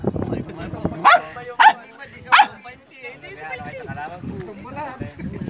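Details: Belgian Malinois female barking at her reflection, three short loud barks spaced about half a second apart, surrounded by a man's voice speaking Tagalog and indoor background noise.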